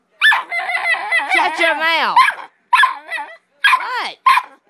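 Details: Pit bull puppy talking back to its owner's mother, first a long wavering yowl that slides downward, then several short rising whines, with a woman's scolding voice mixed in.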